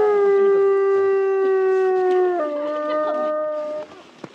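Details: A timber wolf, one of three sibling wolves at Asahiyama Zoo, Hokkaido, howls in snowy winter before 2 pm on 17 February 2023: a long, smooth, steady tone that drops abruptly to a lower pitch.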